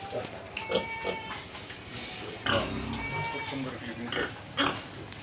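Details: Farm pigs and piglets in Tripura: short clipped grunts and thin whining squeals scattered through the clip, against a busy background hiss.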